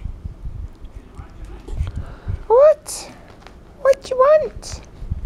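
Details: Puppies in the morning: a short rising, whining yelp, then after a pause two more brief arched whines in quick succession, with soft scuffing footsteps and a human voice in the background.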